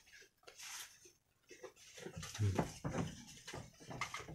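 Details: Two brown Jawarandu goat kids, about one week old, playing together inside their pen on 6 November 2021; short low bleats rise through the middle of the recording, overlapped by a man talking nearby in a small room.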